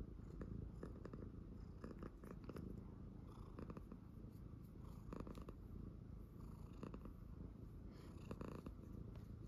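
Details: Indoor tuxedo cat staying calm and purring during nail trimming: a continuous low throbbing purr, broken by frequent crisp clipper snips.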